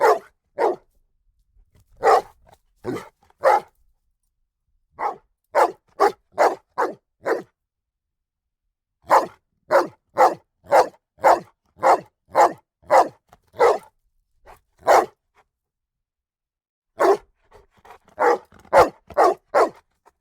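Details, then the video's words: Dog barking in repeated bursts, single barks and quick runs of two to four separated by short pauses, with long silent gaps between groups; no other sounds. "Sonido de perro ladrando // Dog barking sound"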